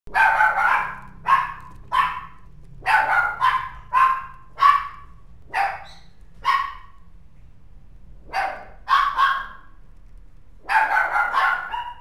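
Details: White-and-tan mixed-breed dog barking steadily, sharp mid-pitched barks coming singly and in quick pairs or triplets, roughly twenty over the stretch, with a faint low hum underneath.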